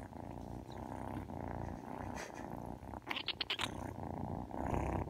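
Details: Happy kittens purr steadily in a low continuous rumble, with brief rustling sounds partway through.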